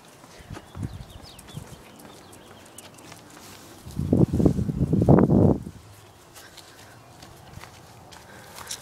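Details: Griggio, a pet Cairn Terrier, at play gives one loud, rough, growly burst lasting under two seconds midway through, with soft knocks and shuffling before and after.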